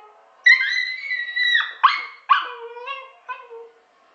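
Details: A pet dog howling like a wolf: long tonal cries with rich harmonics, the first sustained, then a series of shorter breaking wails that drop in pitch and fade, with quiet pauses between.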